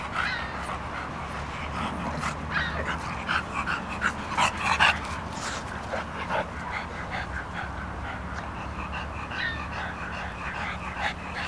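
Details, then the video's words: Two English bulldogs, D-Jay and Ryggs, wrestling and playing together inside a tube; irregular short whimpers and grunting bursts over continuous scuffling and rustling noise, with a low steady hum beneath. "English Bulldog - D-Jay and Ryggs Playing with the Tube"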